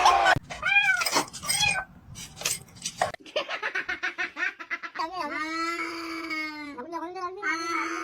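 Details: Cat calling amid people talking: wavering meows with rising and falling tones, then a long drawn-out strained meow with a steady tone from about five seconds in, overlapping human voices and exclamations throughout.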